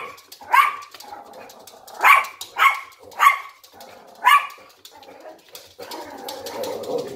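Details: Yorkshire Terrier and Lhasa Apso at a window, barking indoors; five shrill barks spaced about half a second to a second apart, then soft whining and rustling noise at the end.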